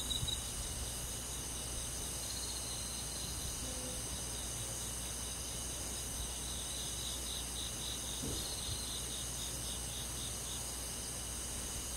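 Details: Summer-night cricket chorus in a forest setting: continuous high-pitched pulsed trilling from many insects, soft and even throughout, with a faint low hum and a brief knock near the end.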